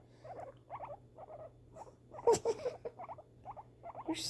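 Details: Pet female guinea pig reacting to fireworks: rows of short, stuttering chirps in quick bursts about twice a second, with one sudden louder, harsher burst in the middle and a hiss at the end.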